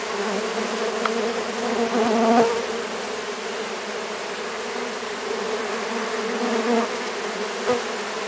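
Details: Harmless Brazilian native stingless bees of three Melipona species swarm over a hand during sugar-syrup feeding, giving a continuous droning buzz from many wings that swells slightly around two seconds, with faint clicks over the hum.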